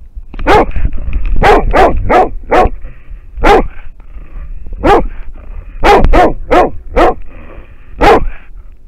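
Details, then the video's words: American foxhound baying at a wild boar, recorded by a trail camera in Finland; about a dozen clear, ringing barks, some in rapid runs of three or four, with brief gaps and faint low background noise. "amerikankettukoira haukkuu villisikaa / American foxhound barking at a wild boar"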